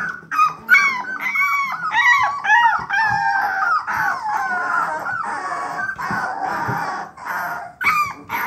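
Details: Several three-week-old bluetick coonhound pups starting to bawl, their short, bending yelps and squealy howls tumbling over one another almost nonstop, with rapid upward and downward pitch sweeps.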